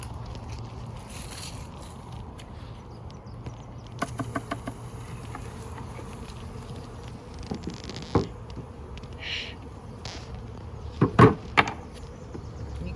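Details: Western honey bee swarm, just dropped into a box and gathering, captured May 7, 2022, in a strong swarming season; steady low droning hum throughout, broken by knocks and clicks of handling and brief rustles.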